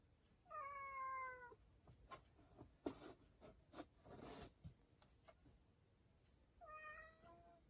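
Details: Cat that has gone into a storage room gives two clear, even meows, one near the start and one near the end, with knocks and rustling clatter in between.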